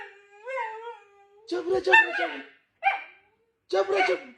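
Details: Husky with a wavering, sustained howl that rises slightly and then settles, followed by rough, noisy barking bursts separated by short silences, heard indoors.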